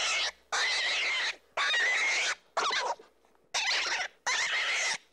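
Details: Baby rabbits giving high, harsh squeals in five long bursts, each about half a second to a second long, with short silent gaps between them and a scratchy, noisy edge to each cry.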